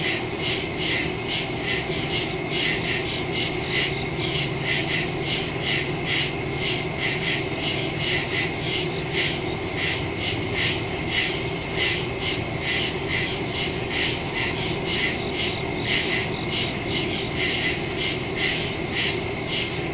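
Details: Nighttime woodland chorus of crickets, captured September 2, 2023 using a Samsung Galaxy S22 Ultra and Shure MV88+ stereo mic; dense, rapid high-pitched pulses repeat steadily over twenty seconds with a faint low rumble underneath.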